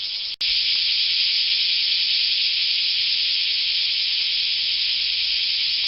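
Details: Cicada song: an intense, continuous high hissing drone held at an even loudness, with one tiny break near the start.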